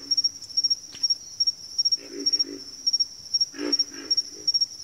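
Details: Several frogs grunt in a backwater chorus, giving paired and tripled low croaks in two main bursts. A thin, unbroken high-pitched whine with regular pulses runs underneath throughout.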